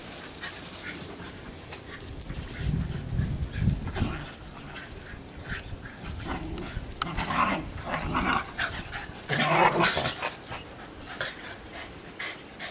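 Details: In a backyard where two Shiba Inus dash around, one gives irregular short yips and whimpering cries over a faint steady high whine; one dog gets a bit of an attitude toward the end.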